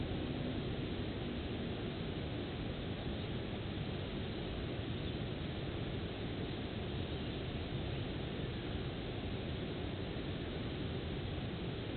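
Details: A steady broadband rumble like distant aircraft or traffic noise fills the clip, with no animal calls.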